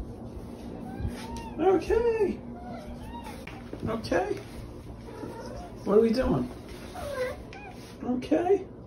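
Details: Female cat called the OK Cat, viral since May 2021 for saying "ok", produces three short swooping meows spaced a few seconds apart over a background of human speech indoors.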